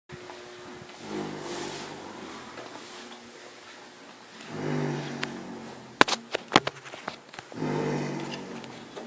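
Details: Hugo, a pet horse, snoring loudly while asleep: rough, rasping breaths in three long swells about every three seconds, with a few sharp knocks in between.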